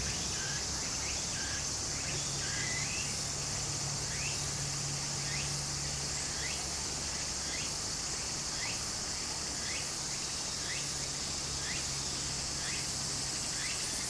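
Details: Cicadas in summer beside a stream in Japan: a steady, high, hissing drone with short rising chirps repeated about once a second, over the constant rush of flowing water.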